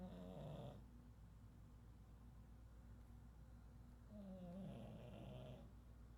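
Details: Pug snoring in its sleep, known as chato: two drawn-out buzzy snores about four seconds apart, low rumbling with a thin wheezy whistle on top, quiet breathing between them and a faint steady hum.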